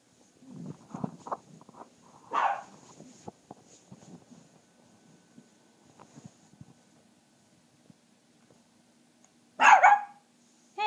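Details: A puppy deliberately provoked to show its loud voice barks once loudly early on, then goes quiet among soft shuffling and small noises in a room, and barks sharply once more near the end.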